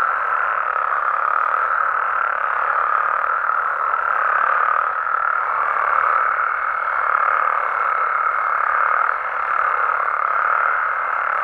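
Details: Frogs and toads of Mexico calling through the night form a continuous buzzing chorus. A thin, level whistle-like tone joins above the croaking partway through and carries on to the end.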